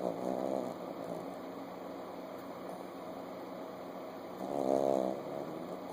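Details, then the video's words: Chihuahua puppy asleep with its eyes open, snoring: two buzzy, rasping snores rich in harmonics, roughly four seconds apart, the second louder and longer, over a steady electrical hum. "Puppy Snoring"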